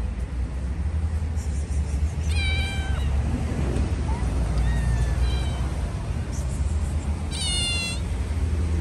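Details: Stray cats eat food held out by hand; three distinct meows, two long descending wails and a shorter softer one between them, over a constant low traffic rumble.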